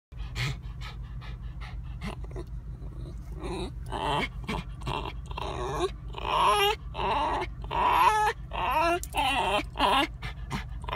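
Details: An anxious Basenji in a car gives wavering, yodel-like whines and yelps over a steady engine hum.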